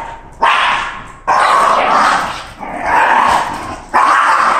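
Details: A female Shiba Inu, excited on hearing it's walk time, gives long, loud, strained vocal bursts, each lasting over a second.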